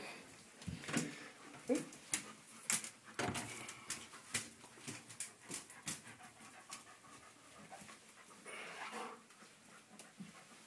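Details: Seven-week-old red rust Doberman Pinscher puppies, NKC-registered, from a litter born 7-12-10, indoors with their mother nearby; irregular panting and scuffling with sharp clicking taps and a few faint, brief whimpers scattered through the clip.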